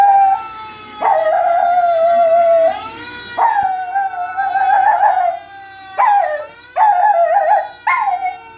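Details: Baby, a pet Chihuahua, howls along to played fire engine siren sounds. Sustained mid-pitched howls rise abruptly at the start, then waver and warble, breaking into shorter bursts toward the end, with faint music in the background.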